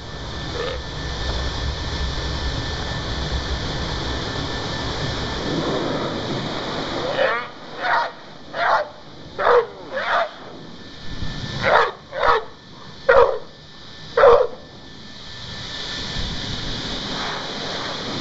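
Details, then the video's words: Toby, a Jack Russell Terrier, not enjoying his blow dry: about nine sharp, short barks spaced under a second apart in the middle stretch, set against the steady roar of a hair dryer that runs throughout. "Jack Russell Toby not enjoying his blow dry!"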